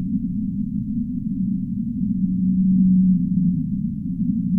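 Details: A humpback whale sings one clear, long low moan that swells and holds for over a second before fading, surrounded by a dull, steady underwater-like rumble.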